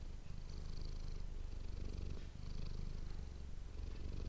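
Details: Domestic cat named Manis purring, captured up close with an ASMR microphone: a steady low rumbling purr with rapid even pulses, briefly easing near the middle before resuming.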